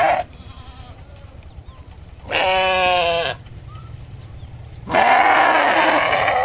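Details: Sheep bleating three times, spaced a few seconds apart: a brief cut-off call, a clear harmonic bleat, then a loud, rough, drawn-out bleat, over low background noise.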